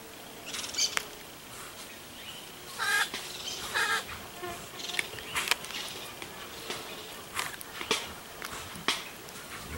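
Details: White-lipped peccary, a wild pig known for clacking its teeth when cornered or in danger; sharp, dry broadband clacks come in scattered bursts, some doubled, over a soft hiss of background noise.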